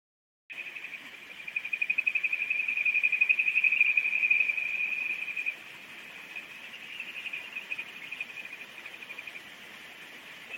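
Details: Kajika frog calling in July at the Oguro River in Takasawa village, Yasuzuka. A rapid, high, pulsed trill swells for several seconds and then continues more softly over a steady hiss of flowing water.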